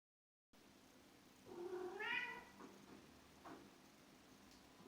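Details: A cat calling in a single drawn-out meow, rising then falling, after a brief silence; a faint click follows and low steady background hum runs throughout, described as a cat shaman calling the water.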